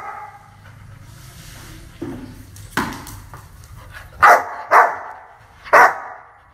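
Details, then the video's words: Aggressive dog barking: a few faint yips, then three loud, harsh barks in the final seconds over a quiet low hum. "Long time dog barking sound and aggressive."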